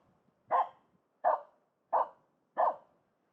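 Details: Finnish Spitz barking at a pond for fun: four short, sharp barks spaced about 0.7 seconds apart, each a loud mid-pitched burst, with nothing else heard.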